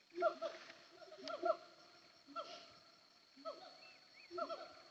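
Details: Siamang calling in the hills of Bukit Kalowan near Sumpur Kudus: a few short, resonant hoots with falling tails, separated by brief pauses, with a thin steady high-pitched drone behind.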